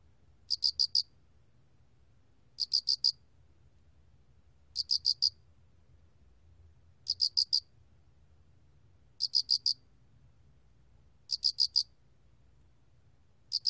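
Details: A Loxoblemmus cricket (알락귀뚜라미) sings short, high chirps of three or four quick pulses, repeated about every two seconds.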